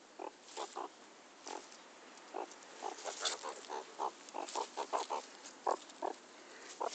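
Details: Pet meerkat, teased during play with its owner, utters rapid rough grunts and chuffs, frequent and uneven, some in quick pairs or runs, with a brief scratchy rustle midway and constant background hiss.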